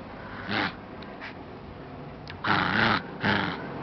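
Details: Small pet dog playing indoors with a stuffed bear toy, giving short rough growling bursts, one brief and two longer ones near the end, separated by quiet room noise.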